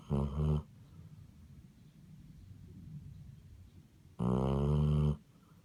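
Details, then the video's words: Loud nasal snoring from a sleeping Basset Hound, one short snort at the start and a longer, harsh, buzzing snore near the end, separated by soft low breathing. "Snoring Basset Hound"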